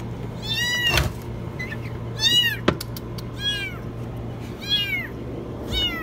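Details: Loud, high kitten meows from inside a washing machine, five strong downward-sliding cries about a second apart, with a couple of sharp knocks and a low hum behind.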